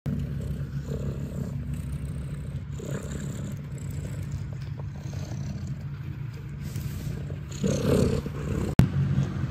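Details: Kittens nursing from their mother at the Catfe cat cafe in Ho Chi Minh City, Vietnam: a steady, low rumbling purr runs throughout, with soft rustling and a louder shuffle and sharp click near the end.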